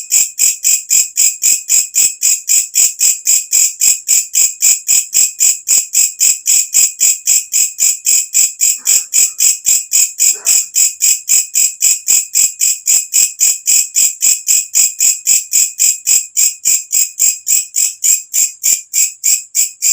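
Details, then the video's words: Katydid heard at nightfall with its loud ringing call, used as a tutor recording for all kinds of birds: a long, steady run of sharp buzzing pulses, nearly four a second, even and unbroken, with a faint brief lower sound midway. "walang kecek masteran untuk semua jenis burung"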